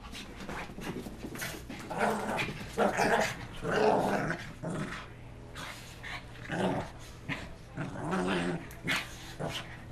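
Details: Wet Shih Tzus racing after one another following a bath; rough play growls come in uneven surges, with a few short barks and scuffling feet between them.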